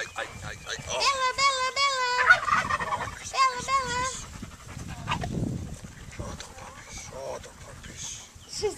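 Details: Puppies whining: two bursts of high, wavering, warbling squeals lasting about a second each, followed by quieter scattered sounds and faint human voices in the background.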